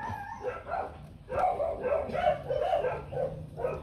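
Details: Young Rottweiler pups, one litter of four with their mother Hanna Gervi at a kennel, 2024: a near-continuous series of short, nasal, harmonic yelps and whimpers, pulsing roughly every third of a second, with a faint steady hum beneath.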